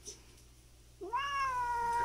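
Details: Free-roaming countryside cat confronting a rival cat in an ongoing feud. Quiet at first, then a sudden, sustained, strongly harmonic yowl begins, rising briefly before holding a level, tense tone to the end.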